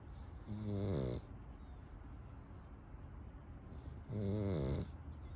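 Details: Sleeping Pug hugging a little toy duck gives two deep, buzzy snores roughly three seconds apart, each a short harsh rumble over faint room hiss.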